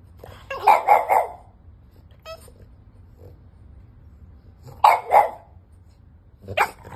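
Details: Five-month-old French Bulldog puppy indoors, barking because it wants to get into the bed: two short harsh barks in quick succession, a pause, another double bark, then a single bark near the end, with a brief squeak in between.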